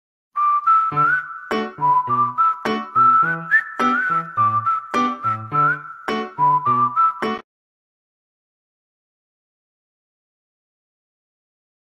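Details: A bright whistled children's-style tune with plucked accompaniment plays for about seven seconds, then silence; no animal sound is heard.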